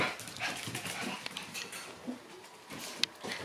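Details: Shiba Inu puppies, indoors, excited and happy when someone comes into their room; soft high whimpers and whines scattered through the clip, with faint rustling and small knocks.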